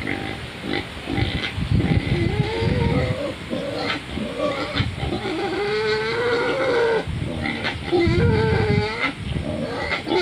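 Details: A large wild pig standing in mud grunts in low, rough pulses, interrupted midway by drawn-out, wavering, higher-pitched squealing tones, followed by more grunting toward the end.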